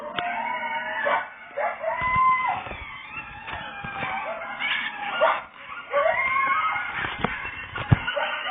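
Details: Coyote howling in Florida: wavering, quavering high cries that rise and fall, overlapping one another, broken by short sharp yelps, over a steady background hiss.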